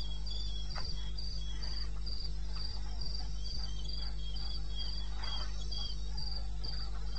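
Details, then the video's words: Nighttime wilderness in eastern Botswana, May, 02:30: a cricket produces steady, rapid high-pitched chirps about four a second, with a weaker second voice slightly lower and a continuous low rumble. "1 Hour cricket sound-Africa-No loop-Real recording. Not edited."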